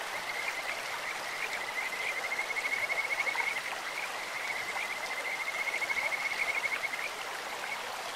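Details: Stream-dwelling Kajika frog with a sweet, bird-like voice: two long runs of fast, even high-pitched pulses rise and fall over the steady babble of a clear stream.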